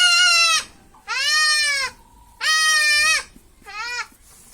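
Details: Young goat kid bleating during castration: four loud, harmonic, wavering bleats in quick succession, each under a second, while a man repeatedly tries to calm it.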